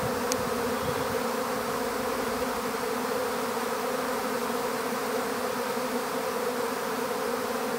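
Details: A swarm of honeybees being taken into an empty hive fills the air with an unbroken, even buzzing drone, one quick click near the start.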